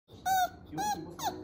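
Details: Yorkshire Terrier out on a walk, on a day it would not walk; three short, high, squeaky whines, the first two steady and the last bending downward, in quick succession within about a second.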